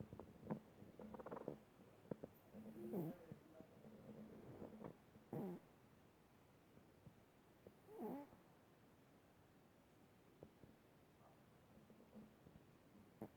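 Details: A pet cat snoring while asleep: raspy, buzzy breaths that swell every two to three seconds, mixed with a soft, low purr-like rumble and scattered faint clicks in a quiet room.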